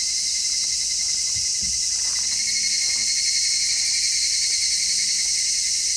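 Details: Midsummer cicada chorus, recorded in stereo with an MKH-416 microphone: an intense high buzzing hiss that never pauses, with a couple of soft low knocks early on.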